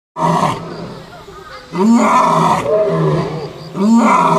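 Three heavy, rough-edged roars from a lion come in strong bursts roughly every two seconds. Each one is loud and full, with a grating, throaty quality and a brief lull between.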